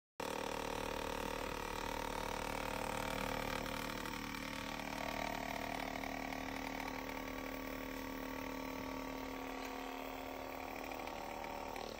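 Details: Steady mechanical droning with sustained motor tones and a rapid buzzing pulse, like a running massage gun, and no animal voice.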